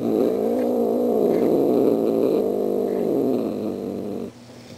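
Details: A female cat indoors, practicing her greeting for Halloween visitors, gives a steady, drawn-out low growling yowl with wavering pitch for about four seconds, then falls quiet.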